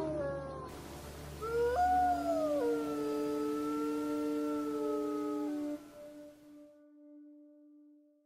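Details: A gray wolf (Canis lupus) gives a long, sustained howl that slides upward, then holds steady over a soft musical drone.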